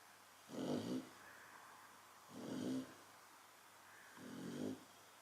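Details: Chow Chow dog snoring while asleep: three slow, rasping snores, each about half a second long with a low buzzy pulse, coming roughly every two seconds in a quiet room.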